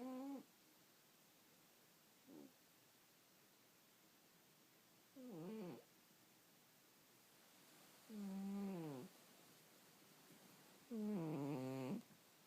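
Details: Cat asleep and snoring irregularly: brief, soft snorts, then longer, louder rasping breaths with a wobbling tone, spaced a few seconds apart.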